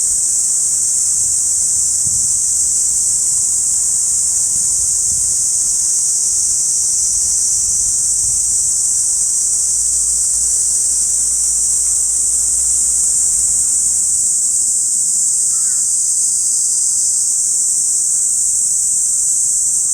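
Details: Cicada chorus in a Saitama City park, recorded binaurally in August; a continuous high, hissing buzz runs unchanged throughout, with a low rumble in the first part and a faint short chirp later.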